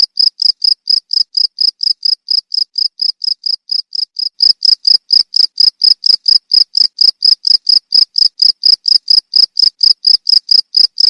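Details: Cricket sound for teaching songbirds: a long run of rapid, shrill chirps at roughly four per second, slightly quieter in the first four seconds, then louder and steady to the end, no other noises.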